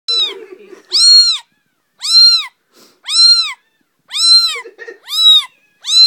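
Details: Two-week-old female kitten complaining loudly about chilly hands: piercing, high arched meows repeated about once a second, each rising then falling, with soft low handling noises between cries.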